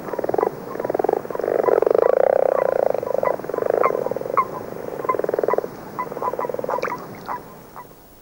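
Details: February chorus of common frogs mixed with a few common toads: overlapping low, dull snoring trills, with rapid pulses running into longer purring stretches, and sharper short clicks scattered over the top.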